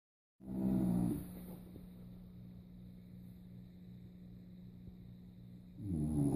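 An English Bulldog snores with deep, rattling rasps, one loud breath, then a long pause before the next.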